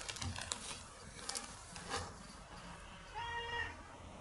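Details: Nora, a cat being raised as a fully indoor pet, meows affectionately at her owner while clinging close and following her around; a single short, clear harmonic meow near the end, preceded by soft clicks and rustling.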